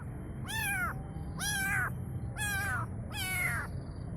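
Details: Kitten calling its mother: four clear, high-pitched meows about one second apart, each with a rich stack of harmonics that rises and then falls, over a low steady background hum.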